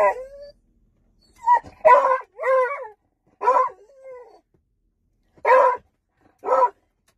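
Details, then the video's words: A beagle mixing short whimpers and wavering whines with a few harsh barks, in uneven bursts separated by brief pauses. "Beagle Barking Sound Effect"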